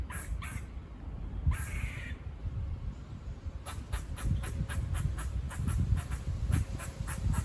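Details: Squirrels near a farm give barking calls that sound like buzzing. Two early harsh notes and a longer rasp lead into a rapid, steady series of short chucking barks over a windy low rumble.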